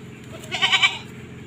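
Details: Goat in an Indonesian herd of females, shown before being sold, lets out a short, nasal, quavering bleat lasting about half a second over a steady low hum of background noise.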